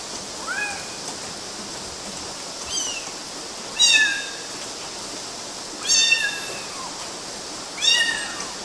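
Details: Kittens climbing mosquito nets in Galati, Romania, in June 2012 give five high, thin meows roughly every one to two seconds, each a brief bent squeal with bright overtones, over constant background hiss.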